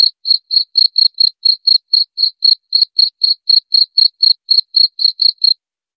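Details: Cricket chirping, offered as a sound to drive away rats: clean, high-pitched pulses repeated evenly about four times a second, roughly two dozen chirps over five and a half seconds, then silence. No other sounds.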